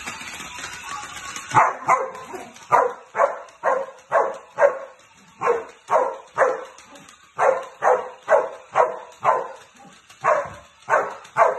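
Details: Samoyed named Pyro, a male dog playing alone, gives a steady run of short, sharp barks, roughly two per second over about ten seconds, after a quiet, rustling start.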